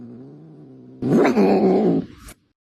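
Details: Domestic cat imitating a car noise: a low, steady droning hum, then a sudden loud, harsh yowl rising and falling for about a second before cutting off abruptly.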